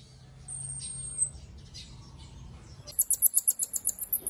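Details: A pygmy marmoset, a tiny finger monkey, gives one long, thin, very high whistle. After a quiet pause it produces a fast trill of about a dozen sharp, high pulses, with soft low background noise throughout.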